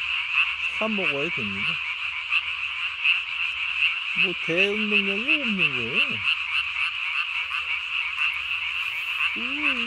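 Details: At night on 3 May 2020, Japanese tree frogs inflate body-sized throat sacs to call. A dense, unbroken high-pitched chorus runs throughout, broken by three lower, wavering, bending croaks near the start, middle and end.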